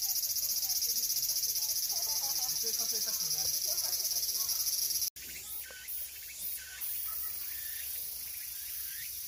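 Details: Summer cicada song: an intense, even high buzz with a fast shimmering pulse that cuts off sharply. A softer, lower background with brief rising notes follows.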